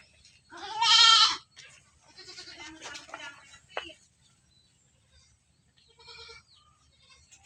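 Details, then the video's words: Goat in its pen letting out one strong, nasal, quavering bleat, followed by softer broken bleats and a faint later call, otherwise quiet. "Kambing Di kandang, kambing lucu, Suara Kambing"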